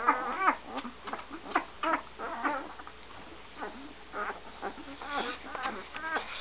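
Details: Great Dane litter at one week old beside their mother Gracie, 2012. Thin whining squeaks arrive in irregular bursts. Each rises and then drops away, with a couple of sharper cries at the start.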